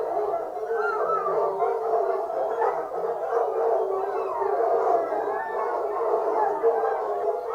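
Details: Fox hunting hounds in full cry, many voices baying and howling at once in a steady unbroken chorus of rising and falling wails.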